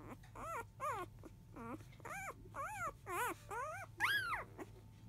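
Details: Field-line Labrador Retriever puppies, five days old, left alone indoors early afternoon as their mother goes to eat: a run of high, wavering whines and squeals, about two per second, separated by short pauses, over a low background hum.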